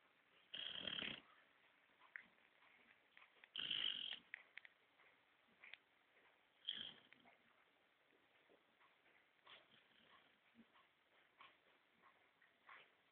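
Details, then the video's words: A 5-month-old Basset Hound asleep on a sofa snores in coarse, breathy rasps spaced about three seconds apart. "Kira, meu basset hound, roncando"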